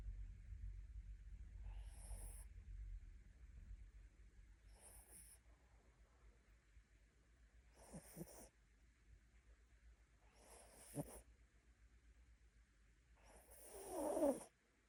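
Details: Sleeping mini Bichon snoring in a quiet room, five short nasal snorts roughly every three seconds, the final one louder and more drawn out, with faint low rumble at the start.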